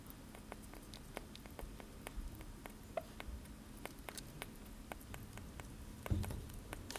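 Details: A sugar glider eating blueberries, heard as quick, soft, wet chewing clicks and smacks scattered irregularly.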